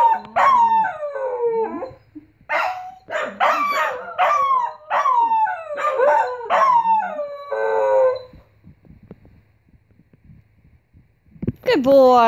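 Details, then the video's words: Corgi Ein, still learning to howl, joins Jet after a leaf struck the window; a string of rising-and-falling yodelling howls for eight seconds, a quiet pause, then a fresh howl starts at the end. "Ein and Jet corgi yelling"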